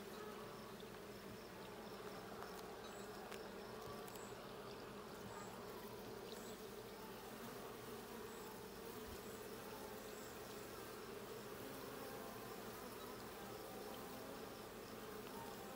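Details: Honey bees during a hive check, a steady dense buzzing hum with a strong low drone, continuous throughout, with faint high ticks above.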